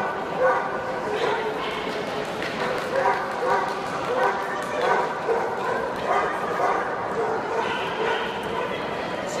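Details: Male basset hound puppies calling together in a steady overlapping chorus of high whining yips and whimpers. The calls are nearly continuous, with louder yelps rising above the stream roughly every second.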